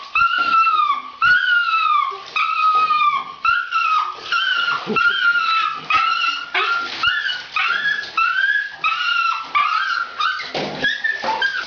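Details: Bathed female pet dog wailing continuously, a run of high quavering howls that fall in pitch, one after another with barely a pause, some water noise underneath.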